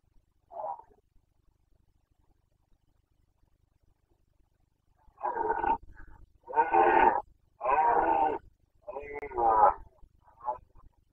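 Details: Carpathian red deer stag roaring during the 2021 rut in Bucovina, Romania: a short faint grunt, then after a pause four loud, harsh, tonal roars of about half a second to a second each in quick succession.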